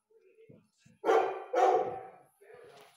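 A Rhodesian Ridgeback gives two loud, harsh, deep barks in quick succession.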